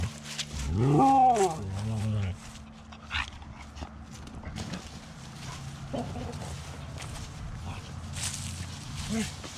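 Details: Dogs playing in freshly raked autumn leaves; a loud, drawn-out, wavering howl-like cry swells and breaks off in the opening two seconds, followed by scattered rustling and scuffling through the leaves.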